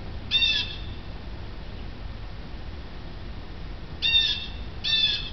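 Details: A female domestic cat watching birds outside a window gives three brief, high, bird-like chirps, the last two close together.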